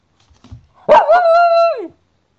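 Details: Cairn Terrier giving one drawn-out tonal bark, almost a yowl, lasting about a second: a sharp onset, a steady middle, then a downward slide. Faint soft knocks come just before it.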